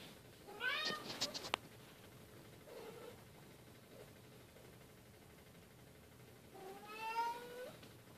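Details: Family play among Bengal cats as silver baby Keylala plays with sister Luna and mother Xia; a short bent meow early on, then quiet, then a longer, steadier meow near the end.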